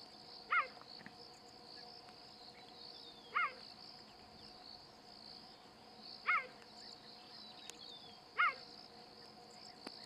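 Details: Cheetah (Acinonyx jubatus), chirp.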